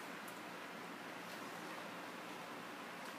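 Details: Steady soft hiss of background noise, even and unbroken, with no animal sound.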